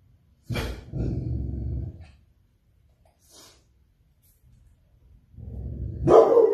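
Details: Rottweiler giving a short gruff bark, then a low rumbling growl lasting about a second, with a rising growl that swells into a louder bark near the end.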